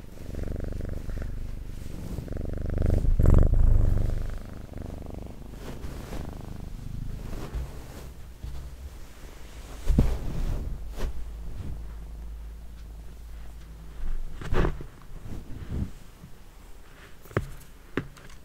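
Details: Low, throbbing purr from a house cat, the steady rumble rising and falling in loudness, broken by occasional clicks, taps and brushing sounds from close handling in a small room.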